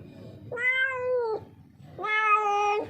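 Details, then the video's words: A stray street cat that wandered in lost, hungry and thirsty, calls out with two long, clear meows, the second drawn out and steady, in a small indoor space. "बिल्ली की डरावनी आवाज। एक भूखी प्यासी बिल्ली। Street cat ki scary voice"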